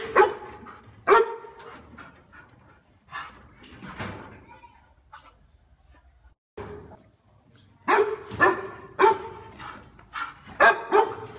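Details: Dog giving loud, deep barks of the kind said to guard a house well, in bursts: a pair of barks at the start, scattered softer woofs around four seconds, then a rapid run of strong barks near the end after a quiet gap.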